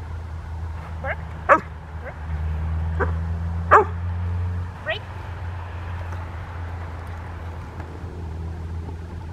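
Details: Young Rottweiler, nine months old, practising barking on command during a 2012 training session: a few short, sharp barks spaced a couple of seconds apart over a constant low rumble.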